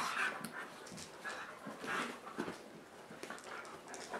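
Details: Inside on a rainy day, dogs wrestle on their dog bed waiting out the rain; short breathy pants repeating in soft bursts, with a thin whimper-like tone at the start.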